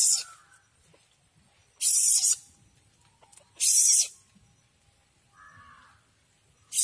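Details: Asian palm civet youngster that entered a home makes breathy hissing bursts about two seconds apart. A faint brief tonal sound falls between them.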